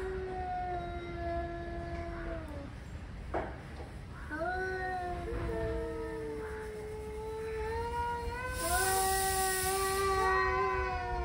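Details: Angry male cats in a hot argument: long drawn-out wailing howls with rich harmonics, several overlapping yowls rising and falling, pausing around three seconds, then resuming; a brief hissy noise burst near the end.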